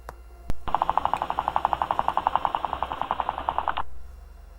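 A guinea pig chatters its teeth in a fast, steady rattle of dry clicks, an angry warning to keep away.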